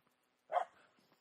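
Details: Female dog hunting a squirrel in a tranquil spring forest, 29 May 2022, lets out one short sharp bark, followed by faint quiet rustling.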